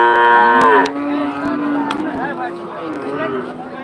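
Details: Cattle at the Rohanpur cattle market: a loud, rich moo opens the clip and trails into a long, steady low lowing lasting about three seconds, with a few sharp knocks and faint background voices.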